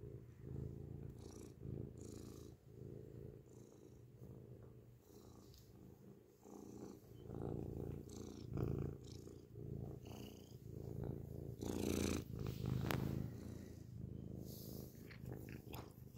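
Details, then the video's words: Loud close-up purring from a grey pet cat indoors, a continuous deep rumble swelling and easing with each breath, broken by brief light clicks and rustling noises near the microphone. "beautiful grey cat purrs loudly up close"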